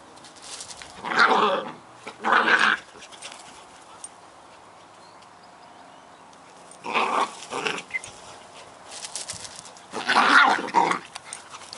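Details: Two Scottish Terrier puppies at play, giving short gruff growling bursts spaced by quiet gaps, four bouts across the stretch.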